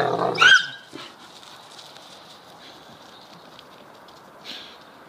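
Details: Deerhound pup squaring up to an older deerhound during rough play in a garden: one brief, loud, strained yelp at the start, then near silence with faint scuffles and a soft rustle.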